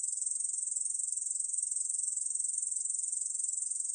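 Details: Korean bush cricket, recorded in 2020 for Korea's National Institute of Biological Resources, singing a steady high-pitched rasping trill of fast regular pulses without pause, clean and free of other sounds.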